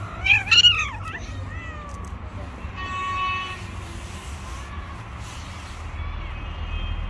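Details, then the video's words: A female cat harassing a bully male cat gives loud, wavering meows with strong harmonics in the first second, then a steadier tonal wail around the third second. Low traffic rumble and background noise continue throughout. "Female cat has harassed a bully male cat"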